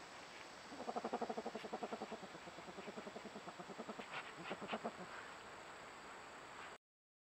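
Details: A groundhog, one of a grown-up family of siblings, in August gives a fast, chattering run of harsh pulses lasting several seconds.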